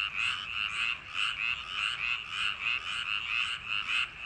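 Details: A short burst of a paddy-field frog chorus on a summer night: rolling, buzzy croaks repeated at a fairly steady pace, about eight in four seconds.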